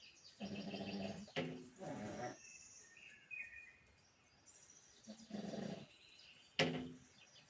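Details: Pug asleep and snoring in a steady rhythm, two raspy low breaths close together, then a pause, then two more. Soft bird chirps carry on in the background.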